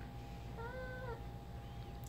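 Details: Ginger, a female pet cat, gives a soft mumbling mew while playing fetch with her favourite toy indoors: one short tonal call of about half a second, level then dipping slightly at the end, over a steady low room hum.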